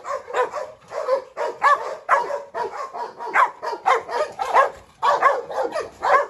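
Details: Dogs barking during a scuffle among three dogs, a brindle Presa Canario female seeking revenge on a Rottweiler while a Staffordshire joins the trouble; rapid, harsh barks repeating about twice a second without pause.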